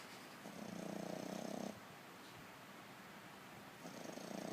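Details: A French Bulldog snores in two long, rattling breaths with a soft pause between them, its eyes rolling back as it sleeps.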